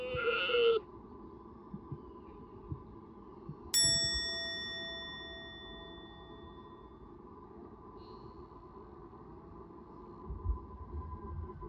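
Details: A sika deer in Nara Park, Japan gives one short, strained, high bleating cry of the mating season, then a bell rings.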